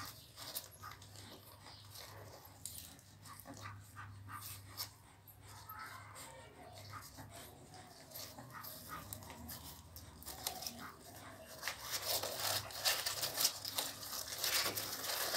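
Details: Newborn American Pit Bull Terrier puppies on their second day, indoors: soft, thin high whimpers and squeaks in short wavering bursts, mixed with rustling and handling noise, growing to a louder hissing scuffle near the end.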